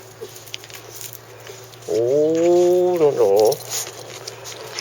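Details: Shiba Inu Chako, the family's new arrival, lets out one drawn-out, tonal whine lasting over a second. It holds level, then breaks into a wavering, quavering end, over a constant background hum.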